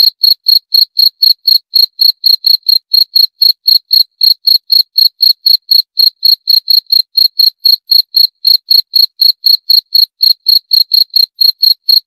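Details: Unbroken cricket chirping for twelve seconds: bright, high-pitched pulses at an even pace of about four per second, with nothing else audible.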